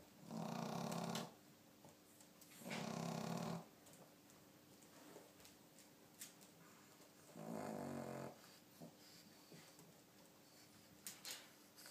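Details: Cat snoring indoors on 2 April 2012, three raspy, breathy snore bursts of about one second each, spaced a few seconds apart in a quiet room.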